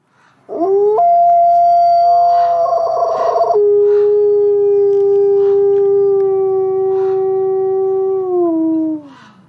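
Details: Wolf giving a single long, steady howl that starts with a brief rising note, holds a level pitch, drops to a lower sustained tone, then slides down at the end; faint higher sounds in the background.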